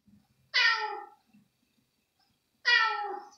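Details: Hungry female kitten indoors at night, jumping for pieces of chicken slice; two clear harmonic meows about two seconds apart, each bright and slightly falling in pitch, with quiet room background between.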